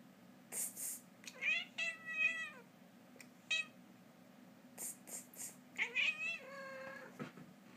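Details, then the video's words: Domestic cat talking to its owner indoors, giving a series of harmonic meows: short chirps early on, then longer wavering mews around two seconds and again near six seconds, with brief clicks and rustles between. "My cats talks to me"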